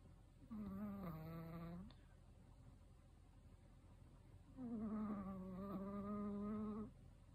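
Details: An old male Chihuahua, aged 13, snores loudly in its sleep, giving two sustained tonal, droning snores of around one and a half and two and a half seconds, separated by a silent pause.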